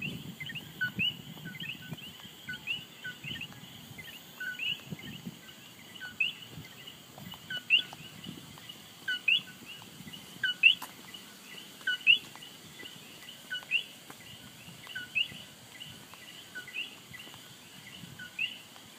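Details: Coqui frog in Puerto Rico calling its two-note co-qui, a low note followed by a higher one, repeated roughly every second over a steady high insect hum and soft background rustle.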